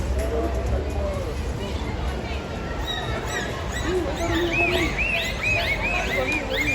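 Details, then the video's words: Captive dolphins at a SeaWorld Orlando show vocalize through the blowhole on top of the head. They give rising and arching whistles in quick bursts over a presenter's voice and crowd murmur. "Now this is where they breathe from, of course, but it's also where they vocalize from, so let's listen in."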